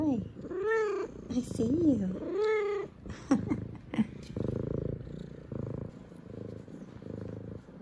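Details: An excited, happy female F2 Savannah cat gives a string of drawn-out, rising-and-falling meows as a morning greeting to her owners home from work, along with head nudges and purrs.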